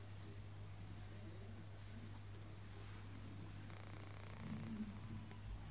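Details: OkiOki, a male cat being groomed indoors and not too pleased about it, gives a low, continuous rumbling purr throughout, over a steady electrical hum, with a faint rustle near the end.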